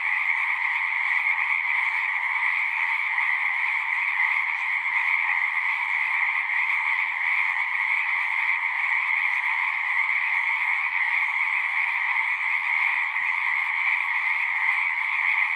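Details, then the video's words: Steady massed frog song from a pasture pond, Zoom 6 recording: countless overlapping voices blend into a continuous, shimmering drone of two layered pitches that never drops over fifteen seconds. "Frogs singing"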